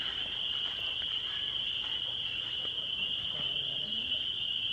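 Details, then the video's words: Spring peepers on a warm spring night, around 8:20 pm in the countryside, fill the air with a dense, shrill chorus of high peeps blending into one continuous ringing. "so you guys hear the spring peepers? I love that sound. It is literally my all-time favorite"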